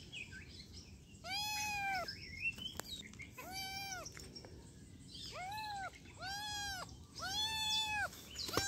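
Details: Five loud, clear kitten meows, each rising then falling in a smooth arc and spaced about a second or two apart, with faint clicks and light background noise.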